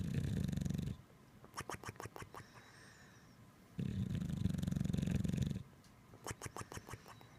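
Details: Sleeping Bulldog giving deep, rumbling snores, each long grating breath about two seconds, alternating with softer gaps full of quick, rattling clicks as the airway flutters.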